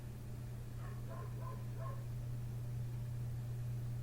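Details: A neighbour's dog outside a window, barking through the small hours after 1:30 am; a brisk string of four or five short, clipped barks within about a second, then quiet, beneath which a heavy low-pitched hum runs unbroken.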